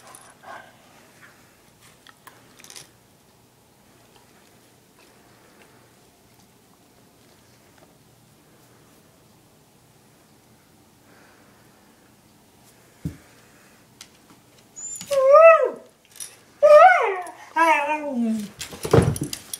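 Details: After a long near-silent stretch with a few soft knocks, Chinook, a one-year-old husky, or Lola, an eight-year-old German shepherd mix, breaks into several rapid, wavering, harmonic yowls and falling cries that fill the final few seconds.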